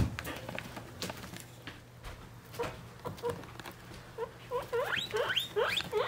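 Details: Guinea pig babies, three weeks old, kept with their mother: after scattered taps and patter, a run of rising whistled squeaks repeats about every half-second, building in the last two seconds over a low background hum.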